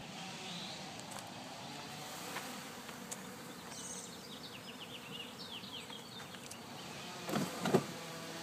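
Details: Many flies swarming over a wheelbarrow of warthog dung, a swarm said to sound like bees; a steady, low droning hum with a faint higher whine throughout, and a few sharp knocks near the end.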